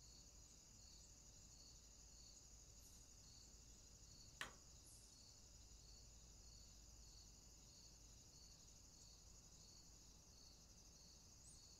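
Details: High, even insect trilling in summer near raspberries, a constant buzzing tone with a gently pulsing layer repeating roughly every half second; one sharp click breaks in midway.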